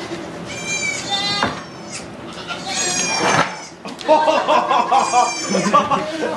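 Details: A goat giving birth to two kids inside a Quebec sugar shack, filmed on an iPod Touch: a few strained, quavering bleats rise over steady French chatter and background noise.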